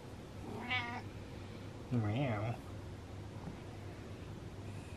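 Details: Happy male domestic cat in a home giving one brief, bright meow, then a woman's voice answering 'meow' and chatting; the rest is quiet room tone.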